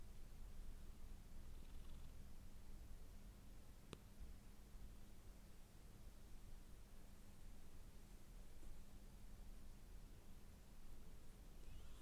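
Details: Domestic cat purring indoors: a faint, continuous low rumble throughout, beneath a steady electrical hum, with one sharp click near the four-second mark.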